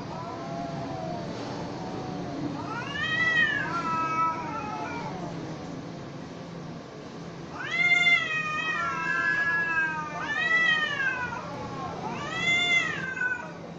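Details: Two cats in a fight trade low growling moans and then sharp, high arching screams, about five loud rising-and-falling yowls clustered in the second half, with steady low hum behind.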